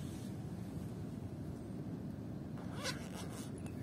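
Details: Low, even background rumble fills the recording, with a few brief rustling or zipper-like scrapes near the end and no animal voice.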